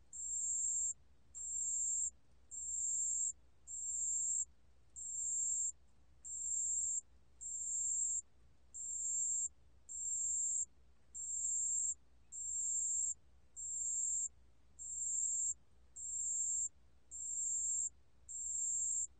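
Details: Pale bell cricket calling: high, pure, ringing trills of about a second each, repeated steadily about every second in a long even series over a quiet background.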